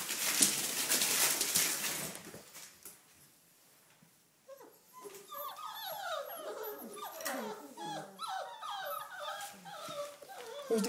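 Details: Four-week-old red rust Doberman Pinscher puppies playing and running about, tails wagging; after a noisy rustling start and a quiet gap, a busy stream of overlapping high whines and yelps arrives, several per second, each sliding downward.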